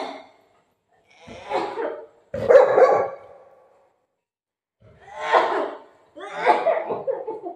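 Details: Golden retriever named Buzo playing with mom during a prank; four loud, harsh barks in two pairs with short pauses between, indoors.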